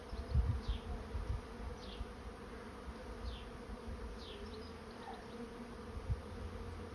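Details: Honey bee swarm moving into a swarm trap: a steady, low, droning hum made of several stacked tones runs throughout. Brief low rumbles from wind or handling come early on, and faint high downward-sliding notes sound above.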